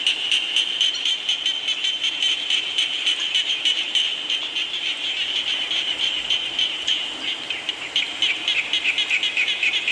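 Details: Rain-time frog chorus, continuous shrill pulsing trills from numerous frogs at an even fast rhythm, some louder bursts near the end, over a gentle background hiss.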